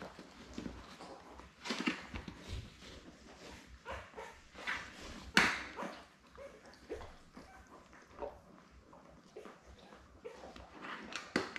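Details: Newborn Labrador Retriever puppies, seven of them born May 24, 2021, with mother Belle on an indoor puppy cam; scattered high squeals and whimpers, one sharp loud burst near the middle, with rustling between.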